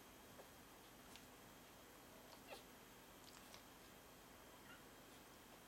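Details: Two-day-old Pyrenean Shepherd (Berger des Pyrenees) puppies giving brief, faint high squeaks and whimpers, scattered singly across a quiet background with a steady low hum.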